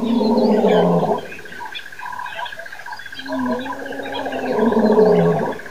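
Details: Lions give deep, throaty roars that swell and fall away over a steady insect buzz at Nkorho Pan, at 6:35am on September 26, 2008.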